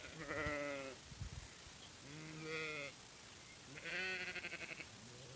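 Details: Sheep giving three drawn-out, tremulous bleats, each about a second long and spaced roughly every one and a half seconds, the last louder and brighter, over a quiet outdoor background.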